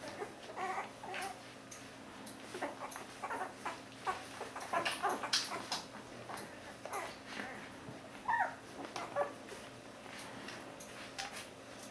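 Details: Week-old Border Collie puppies, offspring of Lynn and Kyle, whimpering and yipping indoors; faint squeaky cries come in irregular bursts, with a louder rising squeal near the end, amid rustling and shuffling.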